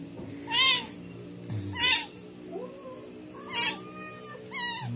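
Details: Rescued kitten with maggots on its body, meowing: four high, arched cries about a second apart, each rising then falling, with faint background murmur.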